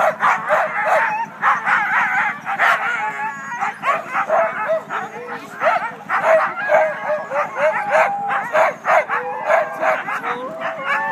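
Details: Team of Siberian huskies at the Siskiyou County sled dog races, north of Weed, California, in Klamath National Forest on February 9, the day's first team just before the start: dense overlapping yips, barks and wavering howls from many dogs, nonstop.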